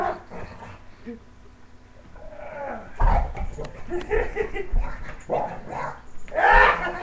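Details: An English Bulldog growls in low, rumbling bursts while playing with its owner's father, a person talking and laughing nearby.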